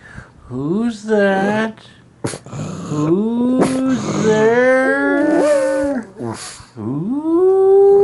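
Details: Indoor pet dog, a Puggle or black pug, giving wavering howls and whines that rise and fall, broken by brief clicks and gaps, with a final rising howl held at the end.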